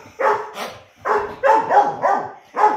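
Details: Four-month-old dog Ludo barking during a morning play session around seven o'clock; short, harsh barks with tonal edges, one pair then a quick series of four, in a quiet room.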